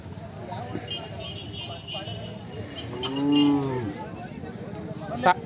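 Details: Hallikar bulls offered for sale at the Siddaganga jaatre fair in Nelamangala taluk: one low, drawn-out moo of about a second, rising then falling in pitch, rich in harmonics, over steady crowd chatter, with a sharp knock near the end.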